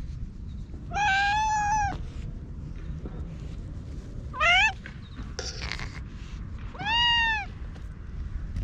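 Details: Chatty ginger tabby stray rubbing up against someone and being pampered with a cat grooming brush gives three meows: a long level one, a short rising chirp-like one, then an arched meow, with faint rustling between.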